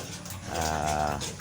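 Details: Large White sow being dewormed on a farm gives a short, harmonic, moaning grunt of about a second that swells and fades, with steady low background hum.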